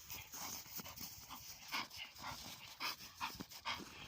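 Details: A tired Bull Terrier following play gives rapid, hissing pants in short bursts, around eight breaths in four seconds.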